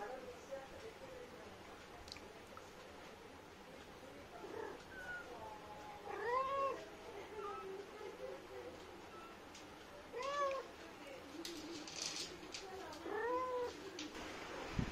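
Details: An Indian street cat mother talking to her kittens: several short, arched meows and soft chirps scattered across the recording, some louder and rising-falling, with faint background noise.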